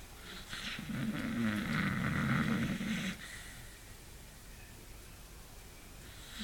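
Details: Sleeping beagle giving one long, rattling snore lasting about three seconds, followed by quiet breathing in a small room.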